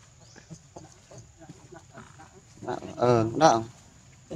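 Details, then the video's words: Monkey named Sheba, hurt, cries out while her injuries are cleaned and treated: two strong, quavering wails close together near the end, after soft whimpering and background talk. "Sheba very hurt & cries"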